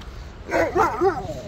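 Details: Old Siberian Husky playing and wanting to play, giving a short series of three or four husky, yodel-like barks and whines with arching tones over about a second, in a quiet outdoor setting.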